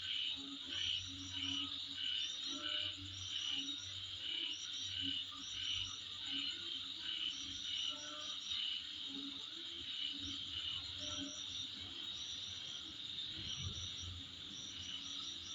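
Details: Insects calling in front of a home: a steady high shrill drone runs throughout, overlaid by short pulsed chirp bursts repeating about every second, with a low rumble underneath.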